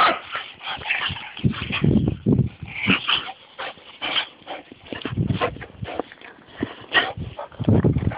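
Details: Two dogs share one lead as Taxi the Golden Lab walks a reluctant Tammy. Whining whimpers and sharp yips come in quick uneven bursts over rustling and scuffing, with faint human voices in the background.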